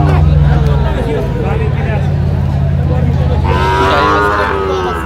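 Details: Sahiwal bull calf at a Mymensingh cattle market, Bangladesh, April 2025, gives one mid-pitched moo near the end, under a loud, steady low engine rumble with people talking nearby.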